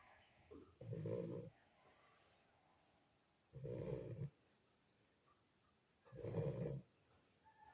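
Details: A Lagotto Romagnolo puppy sleeping after long play with its siblings snores in slow, rough breaths, three deep rattling snores about every two and a half seconds, with quiet pauses between.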